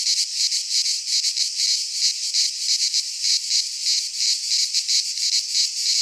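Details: Cicadas singing in midsummer in a Greek pine forest: a dense, continuous high buzzing chorus with a rapid throbbing pulse, several swells a second, nothing else audible.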